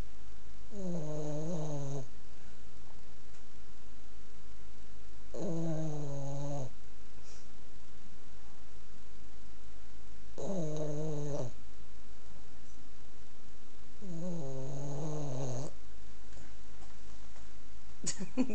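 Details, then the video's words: A sleeping Boston Terrier snoring super loud. Four wheezy, harmonic snores come roughly every four to five seconds. Each lasts about a second and drops in pitch, and a brief click sounds at the end. "Boston Terrier Snoring"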